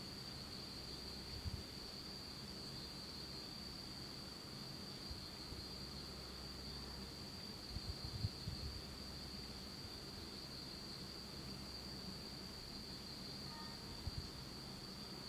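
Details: Autumn insects calling in pitch darkness in Japan, a steady shrill continuous trill above soft low rumbling and occasional faint thumps.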